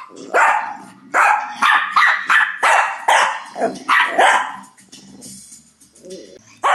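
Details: A domestic Shih Tzu in 2011 keeps barking at other dogs in a bossy display: a rapid run of about ten loud, rough barks, then a quieter stretch with soft rumbling and one last bark.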